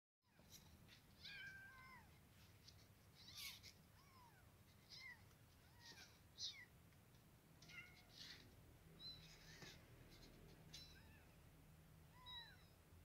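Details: {'caption': 'Caged kittens 24 days old, wanting to get out, give many short high arched meows, several overlapping callers repeating every second or so, over a low steady background hum.'}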